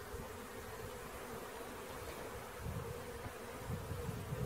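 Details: Honey bee swarm being caught: a steady, dense hum of many bees, with low thumping and rumbling handling noise underneath that grows stronger toward the end.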